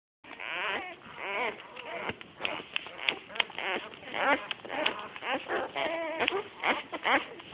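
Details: Australian Shepherd puppies from a litter of seven born 12 August 2010 (red tri, black tri and blue merle), giving a dense chorus of overlapping high whines and squeaks, many wavering up and down, with almost no pauses.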